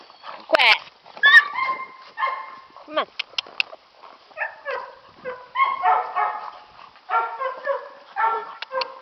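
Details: Catahoula puppies, aged nine and seven weeks, romping around a farm. High, tonal yips and whimpers come in quick bursts with rising and falling slides, some sharp short squeaks, and pauses between flurries of play noise.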